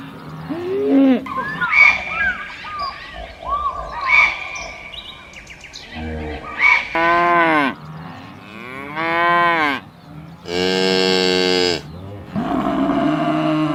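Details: Cows mooing on a farm: a series of varied moos, some short and rising, others long, loud and droning with rich harmonics, including a strained high bellow near the end.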